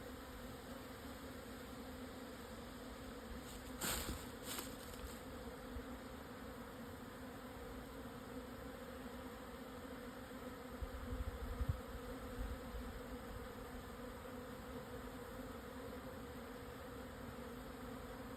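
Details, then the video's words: Japanese honey bee swarm relocating near Hokuto, Yamanashi, Japan, 1054 m elevation, 12:50 on 17 June 2024 after high wind calmed; steady massed droning hum, broken by a couple of sharp knocks near the start and a low thump later. "【日本ミツバチ】 のお引越し〜◆ 分蜂"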